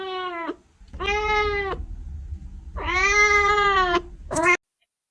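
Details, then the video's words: Kitten meowing in a quick series of four calls, the third longest and richest, the last a short high squeak, with a low rumble beneath. "Kitten meowing to attract cats"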